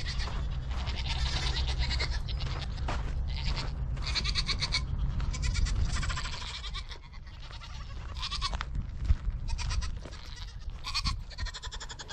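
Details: Nigerian Dwarf show goats on a dairy goat ranch, a herd bleating almost nonstop in overlapping, nasal, wavering cries over a steady low hum.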